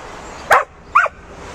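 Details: Bouvier des Flandres, a herding dog breed from Flanders, working while herding: two short, sharp barks about half a second apart, the second slightly lower and rougher, over a low steady background hiss.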